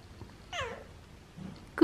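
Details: Siamese cat indoors answering its owner's greeting with a short falling meow around the middle, then a louder brief harmonic cry at the very end; owner's soft speech before and after.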